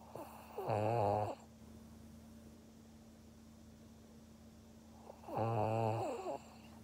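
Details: Maria, a Pug in Japan, snores twice on 16 February 2021. The rough, rattling breaths come about four and a half seconds apart, each near a second long, with a quiet room hum in between.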